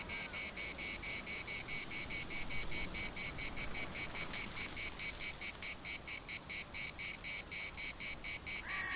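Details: High, raspy cicada chorus at the Larnaca municipal park in Cyprus, throbbing in regular pulses about twice a second, with a brief sharp click midway and a faint distant call near the close.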